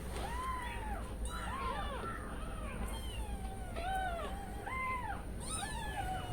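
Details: Newborn kittens, umbilical cord not yet fallen off, crying while their mother has stepped away, calling for her; repeated short arched mews, several overlapping, over steady low background hum.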